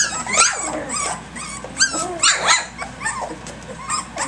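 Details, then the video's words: Puppies at three weeks old playing early in the morning, a busy litter from Egypt: rapid high yips and short whimpers tumbling over one another, uneven in rhythm, with brief scuffling noises between. "Egypt's ACTIVE Puppies 3 weeks 3 days"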